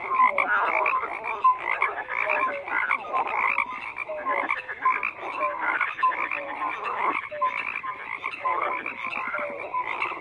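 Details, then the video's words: Frog chorus of busy croaks and rattles, many callers at once, short upslurred chirps sprinkled through a steady, unbroken din. "FROGS CROAKING"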